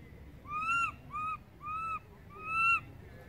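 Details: Baby monkey crying for its mother after she moved far away; four plaintive arched tonal wails, evenly spaced, the last one loudest and longest, with faint low background noise.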